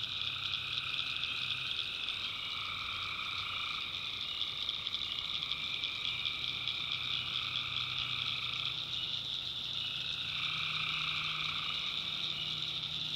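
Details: Swamp at night in the backwoods of North Carolina, tree frogs calling together: a steady high-pitched trilling chorus with overlapping voices that shift and drop out at intervals, plus a faint low hum underneath.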